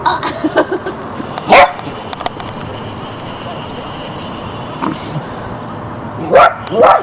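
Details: Border Collie puppy in Barsbüttel, Hamburg, January 1994, giving one sharp bark early, then a long quiet stretch of steady background hiss, then two more quick barks near the end.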